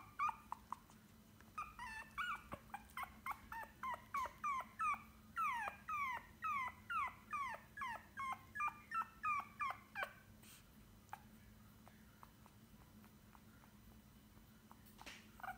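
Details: A white Pomeranian puppy gives a quick series of thin, high-pitched whines, each sliding downward, repeated rapidly for several seconds, with soft clicks and quiet room hum behind.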